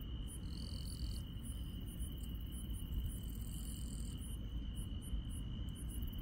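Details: Grass insects on a night in the countryside: a steady high unbroken trill runs throughout, with short very high ticks repeating about every three-quarters of a second and a brief wavering buzz near the start, over a constant low rumble.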